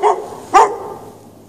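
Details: A dog left chained out in the snow without shelter on a March night, barking: two short sharp barks about half a second apart, the second louder, fading into a quiet, still background.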